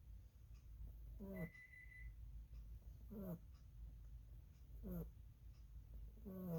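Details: Sleeping rabbit named Lily snores steadily, four short wheezy breaths with a falling, squeaky nasal tone, spaced roughly every one and a half to two seconds against quiet background hum.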